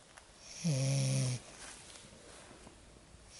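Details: Lagotto Romagnolo puppy named Lexa dozing after her first walk in the forest gives a single low, buzzing snore lasting under a second, then soft breathing hiss in a quiet room.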